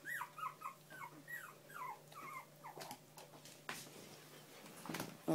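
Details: Young bichon and shih poo pups whining in quick, high, downward-sliding whimpers during the first seconds, followed by handling noises and a woman's soothing voice.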